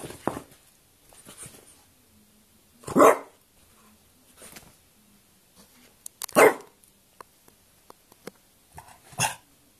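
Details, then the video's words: Quarrelling French Bulldog giving three loud, abrupt barks spaced about three seconds apart, with soft grumbles and small clicks in the quiet gaps. "veszekszik (francia bulldog)"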